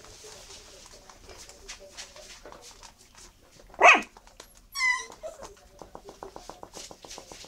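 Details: Miniature Schnauzer puppies, eight weeks old, black and black-and-silver, from litters B1 and C1. A single sharp bark is followed by a high, ringing yelp, set among soft patters and clicks.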